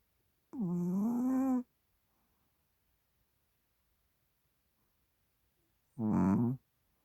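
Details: Chihuahua named Hodu sleeping soundly on a microfiber blanket indoors, nostrils flaring: two droning, tonal snores about five seconds apart, the first lasting a second with a slight rise, the second shorter, near silence between.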